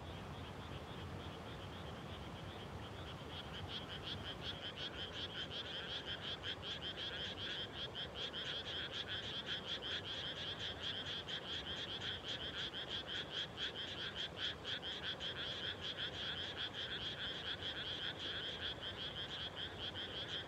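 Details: Frogs calling at dusk just after rice planting on 30 May 2021, in reclaimed farmland; a dense chorus of rapid, rattling croaks, high and reedy with a lower buzzy layer, building after a few seconds and pulsing continuously.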